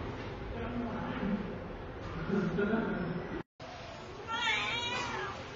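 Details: Rescued stray kitten taken in from a public street gives one clear, bright meow near the end, rising then falling, after several seconds of a person talking over low background noise.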